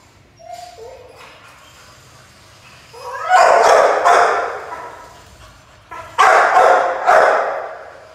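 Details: Pit Bull puppy barking while playing: a faint yip near the start, then two bursts of harsh, broadband barks around three and six seconds, each a quick run of overlapping yaps with high squeaky tones.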